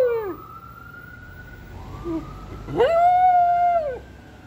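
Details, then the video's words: Ambulance siren wailing with pet dog Rex howling alongside: a short falling whine, a steady siren tone, then a loud howl that shoots up, holds level for about a second and drops off. "Rex howling with an ambulance siren"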